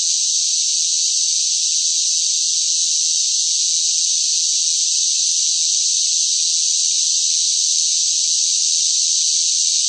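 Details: Noisy cicadas calling in hot summer weather produce a continuous shrill buzzing wall of sound, even and unvarying from start to finish, with no breaks and nothing else audible.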